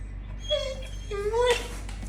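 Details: Rico the dog whining at 6:30 in the morning while impatient for his walk: two drawn-out, high nasal whines, the second sliding upward, over a steady low hum.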